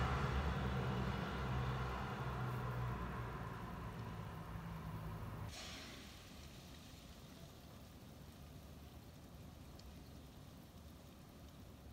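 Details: Engine rumble that stops suddenly at about five and a half seconds, leaving quiet background hiss, with no animal voices.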